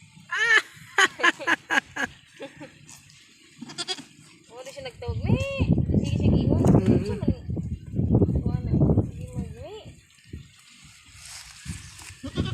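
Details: Newborn goat kid: a run of short, quavering, harmonic bleats in quick succession at the start, then people talking and laughing close by over a noisy background.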